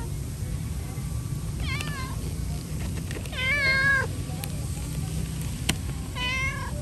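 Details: Hungry cat asking for food with three clear meows: a short bent cry, then a long, loud, wavering meow, and after a pause a third rising-then-falling one, with faint clicks and a low steady hum behind.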